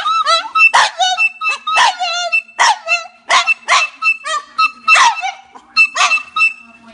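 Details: A French bulldog sings in loud, choppy bursts: sharp rising-then-falling yelps and short howls, roughly two a second, each with a rough, wavering edge, a faint sustained tone running beneath.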